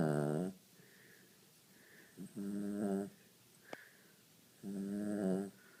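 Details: Sleeping pet dog indoors giving a gentle, buzzy, harmonic snore, about three drawn-out rasping breaths spaced a couple of seconds apart, with faint whistly exhalations and a brief click between them.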